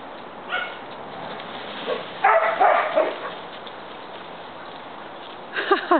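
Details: Dogs of different sizes romping together, with scattered faint yips, then a dense burst of harsh, growling play barks, a lull, and a final flurry of high whining yelps.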